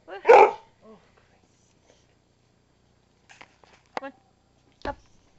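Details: A female dog barking for attention: one loud, harsh bark at the start, a softer short yelp just after, then quiet, and a few brief sharp barks in the final two seconds.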